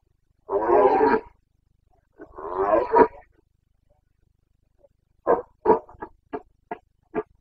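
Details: Boncănit of a Carpathian stag in the Bucovina mountains during the September rut. Two long, drawn-out guttural roars are followed by a rapid series of six short, clipped grunts in a falling-off volley.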